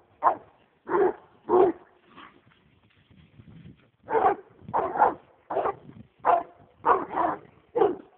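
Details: American leopard hound on a roll cage, worked up over a raccoon, barking in sharp bursts, some doubled, with a pause in the middle before the barking resumes at roughly one per second.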